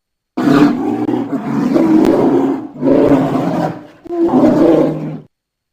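A polar bear gives three deep, rasping roaring growls, each lasting about a second and a half.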